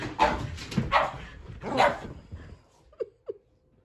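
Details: Kumo, a Keeshond, going nuts while following his owner up and down the stairs indoors: a few loud, rough barks in the first two seconds, then two short, sharp yips after a pause.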